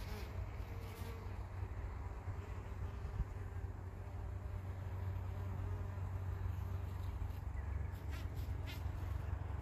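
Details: Worker buff-tailed bumblebees foraging on poppies in Prague on 4 June 2021; a steady, low droning hum with layered overtones runs unbroken through the whole stretch, with faint rustling in the background.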